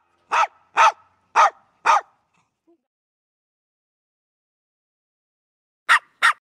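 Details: Pet dog barking at its owner: four sharp, short barks in quick succession about half a second apart, a pause of several seconds, then two more brisk barks; no other sounds.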